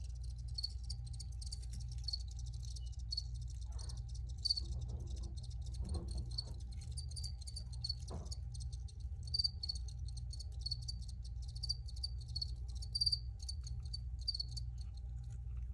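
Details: A chorus of crickets keeps up rapid, high chirping pulses throughout, over a low steady hum, with a few soft knocks and scrapes in the middle.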